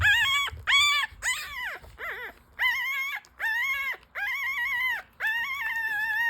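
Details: Five-day-old newborn full-suit French Bulldog puppies nursing. Loud, high, whining cries come in about eight separate bursts, each rich in overtones, some arching up then down in pitch, with short gaps between them.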